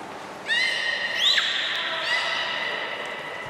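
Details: During a training session with belugas Gray, Mirai and Nico at Port of Nagoya Public Aquarium on 16 December 2018, a steady harmonic whistle breaks into a short upward squeak and then continues, fading in a reverberant hall.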